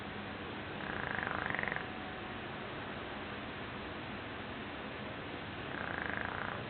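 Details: Shar Pei dog named Joshua snoring while asleep and dreaming: two pulsed, nasal bursts about a second long, the first near the start and the second near the end, with a thin whining tone riding on each, over steady background hiss.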